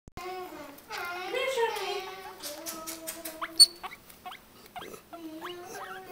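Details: Several pet guinea pigs, which call out when they hear food coming or their names, and seem happy: a long, loud squealing wheek with rich overtones, then a series of short, sharply rising whistles at uneven intervals.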